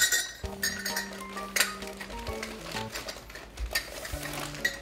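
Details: Playful instrumental music with sustained tones over clinking, dish-like percussion, and no animal voice.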